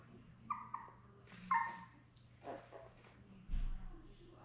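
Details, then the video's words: Young Labrador Retriever puppies, seven in the litter born May 24, 2021, beside mother Belle indoors on June 4. Two short, high, squeaky whines, the second louder and longer, then soft rustling and a low thump against constant background hum. "Lab Puppies LIVE STREAM Puppy Cam"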